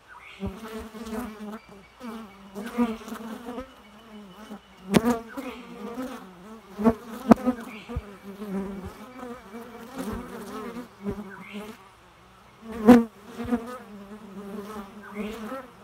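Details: Bee buzzing amid nature sounds: a continuous low hum with wavering stacked overtones, swelling and fading in loudness, broken by sharp clicks or taps near 5, 7 and 13 seconds.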